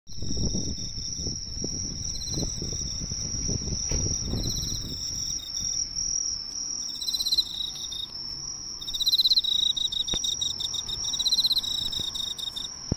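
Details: Emma field cricket drawn to a neighbourhood drugstore's light, singing bursts of rapid pulsed chirps that repeat every couple of seconds above a steady high whine; low rumbling handling or traffic noise fills the first five seconds.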